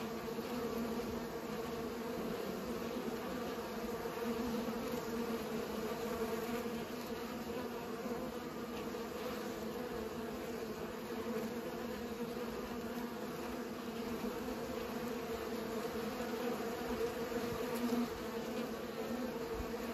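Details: Bees pollinating produce an unbroken, humming buzz for twenty seconds, a rich drone with overtones that swells slightly at moments and includes a faint tick late on.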